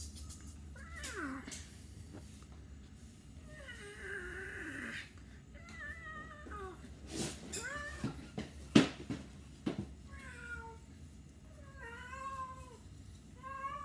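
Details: Pet cat produces varied meows indoors, some wavering and falling, others short chirpy mews, broken up by a few sharp knocks and clatters in the middle.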